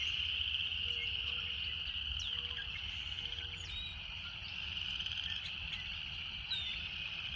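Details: Relaxing nature sound of cicadas: a continuous, bright, shimmering buzz stays level at high pitch, with scattered quick high chirps and a few short low tones drifting underneath.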